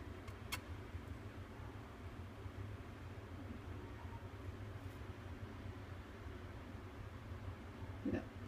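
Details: Steady low rumble of indoor or engine-like noise with a couple of faint clicks, and no animal voice.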